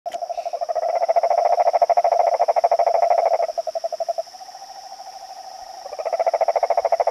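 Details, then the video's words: Male yellow cururu toad calling from inside a pond in São Joaquim National Park, Orleans, Santa Catarina, Brazil, on 22 September 2017 at 19:42: long, rapid pulsed trills at a low pitch, with a steady high insect whine behind. "Sapo cururu-amarelo (Rhinella icterica) vocalizando"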